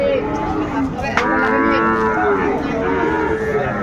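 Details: Sahiwal bull calf at a cattle market, 20 January 2025, sold to a Dhaka farmer. A long, rich moo begins after a short sharp knock and holds for over two seconds, wavering slightly, over constant crowd murmur.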